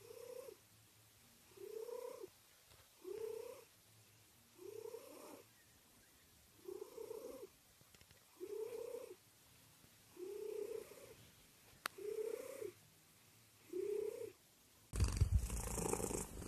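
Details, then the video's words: Purring cat heard as a rhythmic series of voiced, humming swells, about ten evenly spaced pulses at roughly one-and-a-half-second intervals over soft background, ending in a burst of loud rustling noise. "Cat purring compilation"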